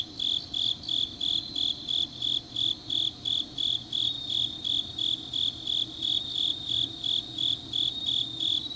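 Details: Autumn grass insects singing late at night in Changnyeong, Gyeongnam, South Korea: shrill, even pulses of high ringing chirps, close to three per second, over a soft continuous background drone.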